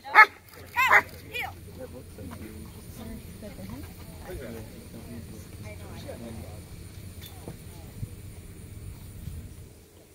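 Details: A 15-month-old black German Shepherd working a P1 protection routine at a protection dog competition gives a few loud, sharp barks within the first second and a half, then steady low rumbling background noise with faint voices.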